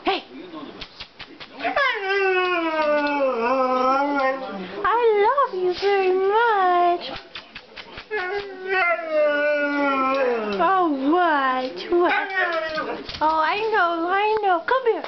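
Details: Male Siberian Husky indoors, vocalizing to be let outside: a long, varied sequence of whiny, wavering howls that swoop up and down, some held steady, others quick and choppy, with an owner's voice mixed in.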